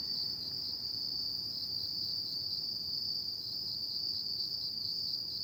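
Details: Insects of an autumn night produce a bright, sustained high trill, steady in pitch and loudness with a slight even throb, set against quiet background hiss.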